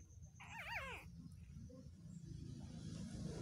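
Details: Two-day-old newborn puppies asleep; one brief, high, wavering whine with a quivering pitch rises and falls for about half a second, then only a low background rumble remains.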